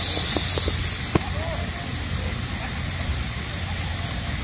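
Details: Midsummer cicada chorus during a heatwave: an intense, continuous shrill buzz that shifts slightly in pitch about a second in, with a few faint knocks and a distant voice below.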